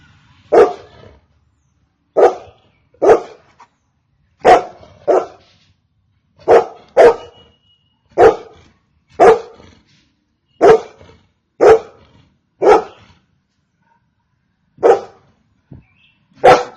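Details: Golden Retriever barking: about fourteen sharp, short barks, some in quick pairs, spaced one to two seconds apart against a quiet background.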